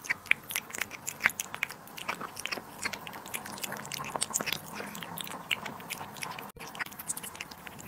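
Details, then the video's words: Cat eating duck liver and sterilized egg indoors: quick, crisp biting and wet chewing clicks, irregular and several per second, with louder crunches scattered throughout and a brief dropout near the end. "cat eating duck liver & sterilized egg"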